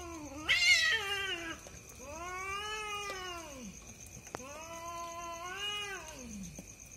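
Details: Night fight between two cats described as a husband and wife pair; a sharp harsh squall opens, then two long drawn-out arching yowls, each swelling and fading over about two seconds, over a constant faint hum.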